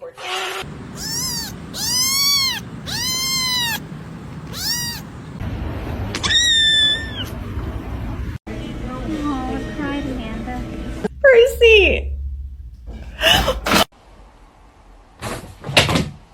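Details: A kitten meowing: four loud, arched meows in quick succession, each rising then falling, then a higher squeaky call and scattered yowls, with people talking, laughter and background music mixed in.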